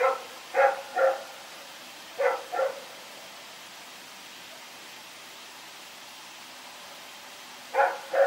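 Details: At night on 21 September 2018, Rex the dog barks while running around. Barks come in quick pairs, then a long silent gap of about five seconds before another pair.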